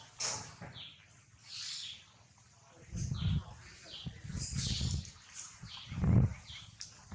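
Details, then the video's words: Wild baby monkey Lily, waking up and clinging to her mother Aika, gives high, thin descending squeals in short bursts, several in a row, over low rumbling thumps and handling noise. "LILY monkey it wakes up and a strange sound clings to AIKA mother"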